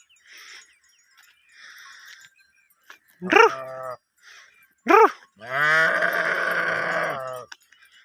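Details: Sheep in a herd, mating season context: two brief rising bleats a second and a half apart, then a long, strained, quavering bleat lasting nearly two seconds; faint tonal background sounds early on.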